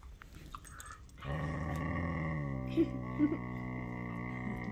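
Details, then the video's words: Two whippets, Henry and Vinny, playing their favourite game of chewing on each other indoors; a sustained harmonic growling moan holds steady for over three seconds, with a couple of short sharp accents near the end. "Whippets make the strangest sounds"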